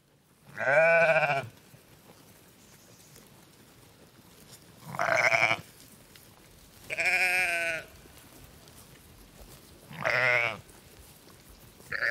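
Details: Sheep (Ovis aries), bleat.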